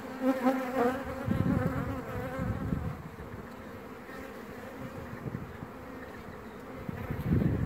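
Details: Honey bee virgin queen singing: a clear harmonic, tooting tone rises out of the hive in the first second, then fades into the dense, low buzzing of the colony with scattered rustling bursts.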